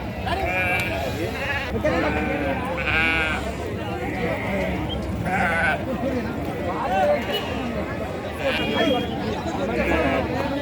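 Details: Sheep at the weekly sheep and goat market in Chillakallu on 8 June 2024. Several wavering, nasal bleats rise out of the crowd every second or two over steady chatter and bargaining voices.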